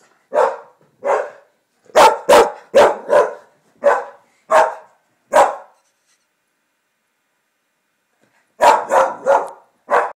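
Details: Pet English Springer Spaniel barking indoors at coyote calls played from a computer during coyote hunting videos. Loud, harsh barks come in a run of about nine over five seconds, then a pause, then a quick burst of five more.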